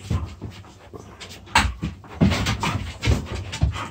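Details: Puppies play-fighting, two dogs together: short low growls and rough panting in choppy bursts, mixed with scuffles and thumps of their tussle.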